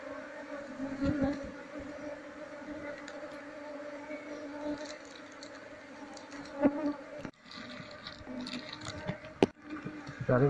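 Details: Wild Apis cerana colony buzzing while a beekeeper searches for the queen to transfer it into a hive box. Continuous low drone with layered overtones, a few short clicks and handling knocks near the end.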